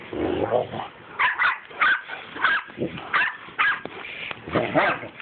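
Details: Mastiffs wrestling in play, recorded on an Android phone: short rough growls and gruff bark-like bursts, roughly eight in five seconds, with a low rumbling growl at the start.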